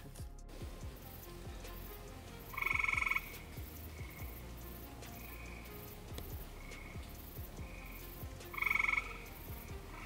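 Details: Eastern gray tree frog mating call in Somerset County, Pennsylvania, drawn out by playing its own call: two short, buzzy pulsed trills about six seconds apart amid quiet outdoor background, then people talking about which way to go.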